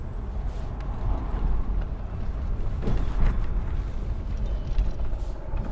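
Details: Low, steady vehicle rumble with traffic noise and no animal sound.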